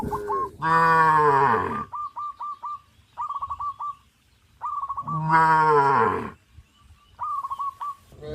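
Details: Tame cows crowding around fields and jumping; two long, rich, lowing moos about four seconds apart, each over a second long, with rapid trills of short high chirps between them.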